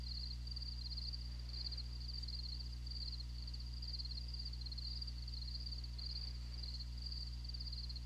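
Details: Crickets chirping, played back during a classroom lesson that says crickets talk by chirping and are mostly active at night; thin, high, pulsed chirps come in short repeated bursts over a loud steady low electrical hum.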